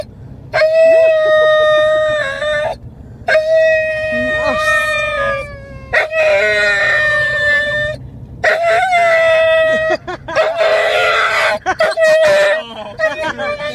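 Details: Female Huntaway Aura asking to go for a walk and play: sustained, even-pitched vocal howls about two seconds long, separated by short silences, the last ones rougher and more wavering.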